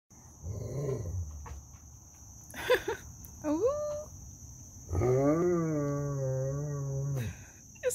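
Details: A Great Pyrenees gives a long, low, drawn-out moan that sounds much like a cow mooing.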